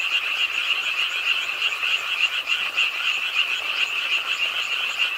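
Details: Many frogs calling together at a pond in an urban park, Ingye Art Park in Suwon, late on a rainy night; a steady high trilling chorus of fast repeated croaks fills the scene, with rain in the background.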